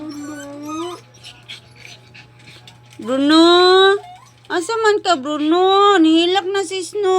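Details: Dog crying in high, drawn-out whimpering wails with strong harmonics, one near the start then longer wavering cries from the third second onward, a steady low hum underneath.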